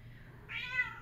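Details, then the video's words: Indoor female domestic cat in Minnesota crying out for attention and more petting; a single drawn-out, rising-then-falling yowl with rich harmonics over a low household hum. "Kitty Mint screams for attention"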